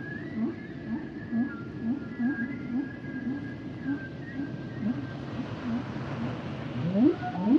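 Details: Singing humpback whale: a long high tonal wail above evenly spaced short lower chirps repeating about twice per second, ending in sharp rising swoops.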